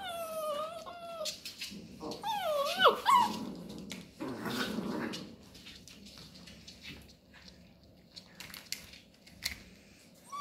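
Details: Labrador Retriever puppies at play with cardboard rolls indoors; thin, high whining calls bend up and down, followed by soft grumbling growls and rustling, scraping play noises.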